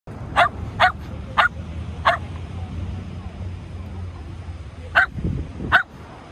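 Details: Shetland Sheepdog barking while playing ball with a man: six sharp, high yapping barks, four in quick succession over two seconds, then a pause and two more, with a low human voice murmuring near the end.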